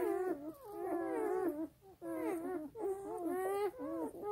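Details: Nursing black German Shepherd puppies feed while their mother sleeps, giving overlapping whiny yelps and squeals with bent, wavering pitch that rise and fall in quick succession, heard indoors.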